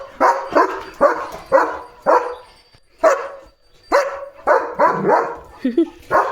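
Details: German Shepherd named Leo barking loudly at cattle passing the gate in the morning: loud bursts every half second in uneven runs with short pauses, a person speaking Marathi between barks.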